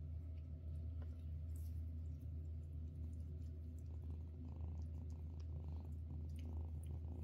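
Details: Domestic cat purring while a mother cat feeds her kittens indoors; steady low continuous rumble throughout, with faint soft rustles and no other voices.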